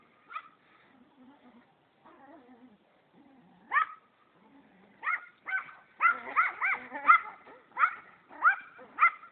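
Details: A white Pomeranian on the chase barks in high, sharp yaps. They are scattered at first with soft whines between, then come as a rapid run of about ten barks in the final four seconds.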